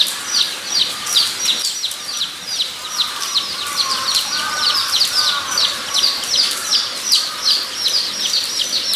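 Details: Zoo guinea pigs at Nogeyama Zoo, 23 September 2012, give quick runs of piercing squeaks in a continuous chorus, while lower, wavering whistled notes come through in the middle seconds.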